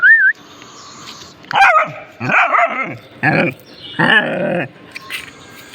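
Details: After a brief high whistled tone, a pet dog investigating something it found lets out four or five rough, drawn-out barks about a second apart.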